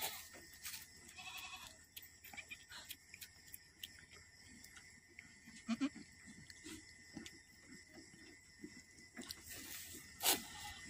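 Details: Boer goat giving birth to twins, kept by a farmer in Aceh; soft, harmonic bleats come early and again around the middle, faint beneath steady electrical hum, clicks and rustling handling noise.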